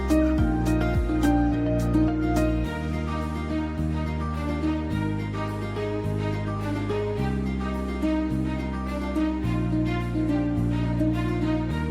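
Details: Gentle, sad instrumental music with steady plucked notes over sustained low chords.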